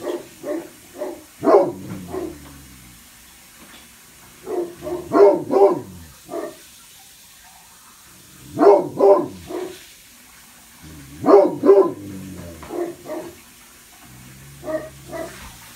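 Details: Great Pyrenees, two pet dogs named Blanche and Lee, guarding from upstairs bay windows on the west and east sides of a house; deep barks in clustered bursts of two to four, pauses of a few seconds between bursts, indoors.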